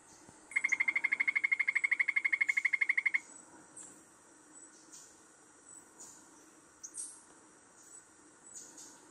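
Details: Golden poison frog, Phyllobates terribilis, critically endangered, recorded in research monitoring near Anchicayá, Colombia: one fast, regular pulsed trill lasting under three seconds, then quiet background with scattered faint high chirps and insect sounds.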